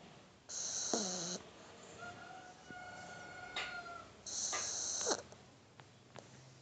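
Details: Shar Pei puppy asleep in someone's arms, snoring: two loud raspy, hissing snores about four seconds apart, each lasting under a second, with softer breathing and a faint steady tonal hum between them.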